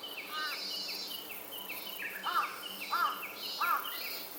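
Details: Robust cicada song recorded August 4, 2025, a rhythmic high buzz swelling and fading in regular pulses, while louder arched bird chirps repeat about every two-thirds of a second over it.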